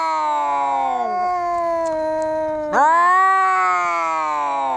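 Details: Fighting cats caterwauling: a steady, droning yowl that drops near the start, then breaks into a sudden rising wail around three seconds and holds it to the end.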